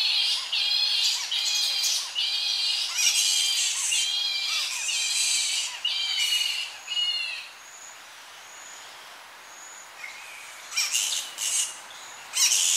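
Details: Young Tonga flying foxes squabble in their colony at evening, heard close: harsh harmonic shrieks in rapid bouts for seven seconds, then a lull with thin high whistles before renewed shrill outbursts; slight wind in the tree.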